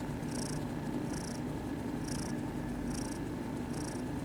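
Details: A kitten in a cat cafe purring while receiving attention; a deep continuous rumble with breathy hiss pulses returning roughly every 0.85 seconds.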